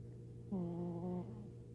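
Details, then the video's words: Sleeping pet cat named Tiger lets out a single drawn-out, nasal squeal lasting under a second, slightly wavering then trailing off, over a constant low hum. "My cat Tiger snoring or squealing?"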